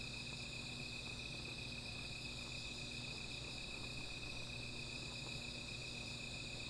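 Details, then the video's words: Insects calling at night beside a small fire: a steady, unbroken high shimmer of several continuous pitched bands, with a low hum beneath and no clear breaks. "Sound of Insects"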